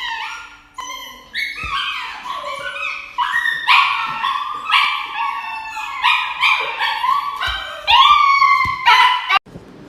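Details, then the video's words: Dog crying out while receiving an injection: a series of high, harmonic yelps and short howls, each sliding downward, about two or three per second, with a faint steady hum underneath. "Funny Dog Injection videos"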